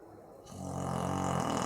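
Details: A Boxer named Maizena, asleep and snoring, gives a single loud, low, buzzing snore that swells in after a brief quiet start and holds steady for about a second; recorded 18/04/2015.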